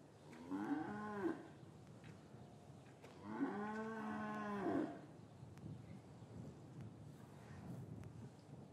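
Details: Cows in a traditional English farm yard on a winter's afternoon after the calves were taken from their mothers; two long harmonic moos about two seconds apart, the second longer and wavering, over low rustling yard sounds.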